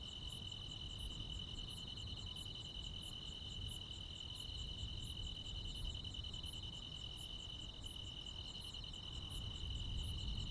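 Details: Countryside crickets and insects at night in high summer: constant piercing trill beneath evenly spaced very high chirps, roughly one every 0.7 seconds, over a low steady hum.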